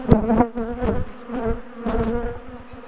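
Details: Big colony of bees, known for chasing their owners through the garden, buzzing loudly while their top bar hive is split and moved; a thick, droning hum of many wings with a few sharp clicks and taps.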